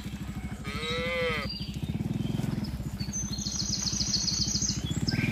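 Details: Tame cattle herded from a broad green field toward the pen: a single arched, harmonic moo lasting about a second near the start, then a pulsing motorcycle engine throbs on with high bird chirps above.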